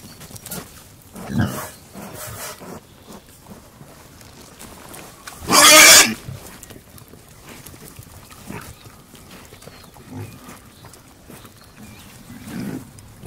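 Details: Pigs grunting as they feed: low, short grunts at irregular intervals, interrupted midway by one loud, broad, harsh burst lasting about a second.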